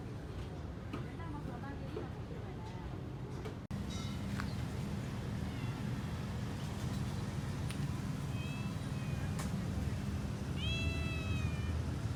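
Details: Street cats in Malaysia, strays gathered around food and eating, give a few short, high harmonic meows late in the recording over a steady low rumble of traffic, with faint voices earlier.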